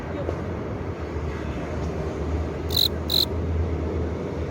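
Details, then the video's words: Male cricket rubbing its forewings together to attract a female, giving two short, bright, buzzy chirps close together near the three-second mark over a steady low rumbling background. "귀뚜라미 울음소리의 비밀 순간포착"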